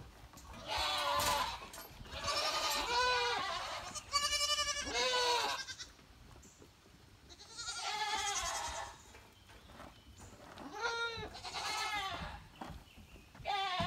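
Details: Goats in rain, which they are said to hate even in a few drops, give long quavering bleats in bursts of one to two seconds, some rising then falling, separated by quieter gaps with faint background hiss.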